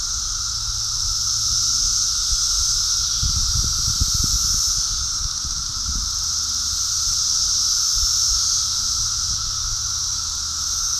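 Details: A dense chorus of cicadas during an emergence in New Jersey forms a steady, high, hissing drone, with some low rumbling in the background.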